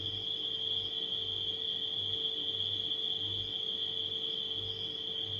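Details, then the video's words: A continuous shrill ringing of crickets at night stays level and unwavering for the whole stretch, accompanied by a refrigerator's deep throbbing hum and a thin constant buzz beneath it. "Crickets & Refrigerator Humming Sound"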